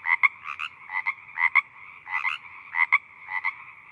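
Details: Frog calling in short paired croaks, bursts of two or three quick notes repeated about every half second, mid-pitched and slightly nasal, with a steady faint hum behind them.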